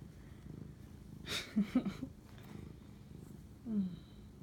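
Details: Cat purring during night-time bonding with its owner, 11:07 pm on March 25, 2019; low pulsing rumble throughout, with a burst of rustling, a few short vocal sounds and a brief falling tone near the end.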